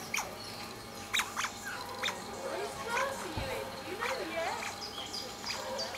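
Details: Playing Asian small-clawed otters squealing with joy on a quiet afternoon: sharp chirps at the start, then wavering, bending mid-pitched squeals and scattered high twitters over steady background hum.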